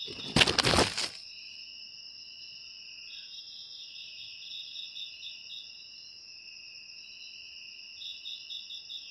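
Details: A loud rustling burst opens, then crickets take over with a continuous shrill trill and runs of quick pulsed chirps.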